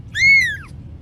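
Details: A cat from a funny cat compilation gives a single high, clear meow that swells upward then slides down over about half a second, with a faint low hum underneath.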